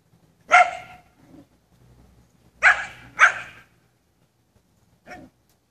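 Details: American Bully dogs barking indoors: three loud, sharp barks at about half a second, two and three quarter seconds and three and a quarter seconds, then a softer short bark near the end, with quiet gaps between.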